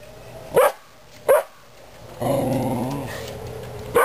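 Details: Dog giving two short sharp barks, then a sustained low, rumbling harmonic growl lasting about a second and fading out, ending on another brief bark.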